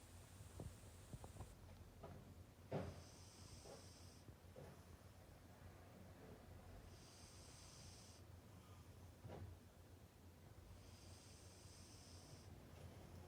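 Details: Sleeping pet cat named Arang, dreaming with twitching paw pads, snores softly. Quiet breathy, hissing snores come in long drawn phases roughly every four seconds, with a few faint low rustles between them in a calm indoor setting.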